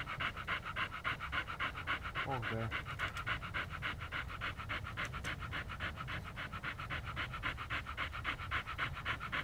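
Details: Siberian Husky named Lucky, filmed in Pleven, panting steadily in rapid, regular breaths about three or four per second, a soft airy rasp sustained throughout, with a brief faint human voice partway through.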